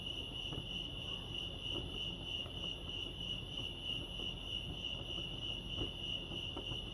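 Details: Crickets chirping at Lake Arrowhead, California: a steady, high, shimmering trill holds unbroken throughout, with faint overtones above and a soft low rumble of background noise beneath.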